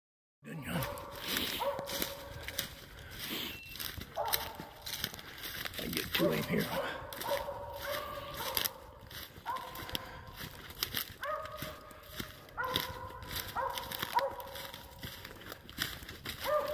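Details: Squirrel-hunting dog barking at a squirrel it has treed, heard on a walk outdoors: short, harmonic barks repeated every one to two seconds, with rustling, crinkling and footsteps throughout and a voice at times.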